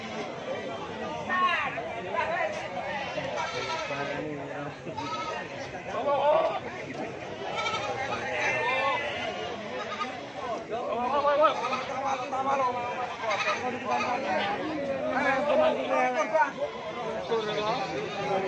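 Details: Goats at a goat market behind Pasar Baru in Tuban Regency, Indonesia, January 2023, around 08:46 in the morning; many overlapping quavering, wavering bleats from several animals, heard over steady crowd chatter and talking.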